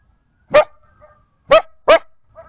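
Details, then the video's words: A coyote in the Arizona desert, near a watering hole, hears sirens in the background and gives three short, sharp barks, each a quick harsh yap with a tonal center, then runs off barking. "Coyote Barks at Sirens"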